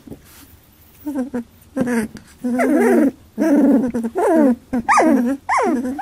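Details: Eighteen-day-old Labradoodle puppies jostling over milk: loud, tonal whimpers and whines that swoop up and down, several drawn out for nearly a second, with brief grunts between them.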